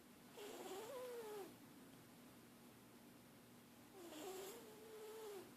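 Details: Pet cat that habitually snores, recorded indoors at low volume: two soft snores about three seconds apart, each a breathy wavering tone, with quiet room hiss between.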